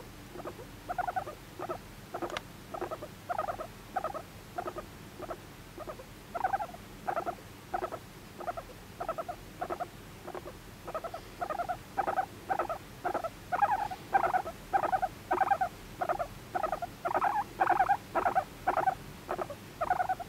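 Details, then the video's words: Moru-chan, a pet guinea pig adopted at eighteen months in May 2019, fawning for attention with steady short squeaking pulses about every second, growing slightly louder and more whistled toward the end. "モルモットのかわいい甘える声♪ Cute voice of guinea pig"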